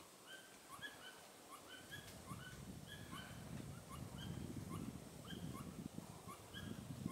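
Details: Pallas's squirrel, tail raised, calling along the Tiaoshui ancient trail on 15 April 2018; quick rhythmic chirping notes repeat throughout over a low rumbling background of wind or distant noise.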